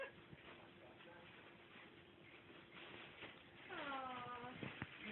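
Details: A pet Rottweiler-Staffordshire Bull Terrier cross joins family members singing Happy Birthday with a rich, bending, wavering howl that rises and falls. The croon swells near the end, layered over the singers.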